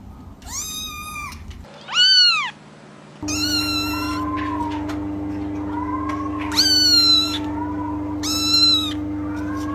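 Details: Repeated kitten meows, five in all, arching up and then down, some drawn out and others clipped, rising loud above a constant electrical-sounding hum.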